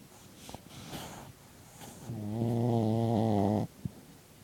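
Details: Pet dog snoring while asleep in a room: a few soft clicks and breaths, then one long, loud, buzzy snore of about a second and a half that wavers slightly before stopping abruptly.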